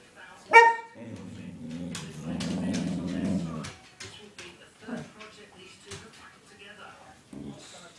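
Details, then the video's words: Excited pet dog on a sugar high after stealing a belVita biscuit: one sharp high yelp, then a sustained low growling rumble for nearly three seconds, followed by quieter scuffling and faint voices. "Lennox's funny noises"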